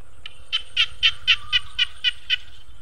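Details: Frogs call by rice fields and a water-vegetable pond just after 5 pm: a quick run of harsh, even croaks, about four each second.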